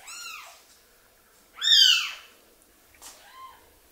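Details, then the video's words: Hand-raised orphan baby kitten that lost its mother lets out three shrill arched cries, the middle one loudest and longest, in a quiet room. "Cry Of A Baby Kitten"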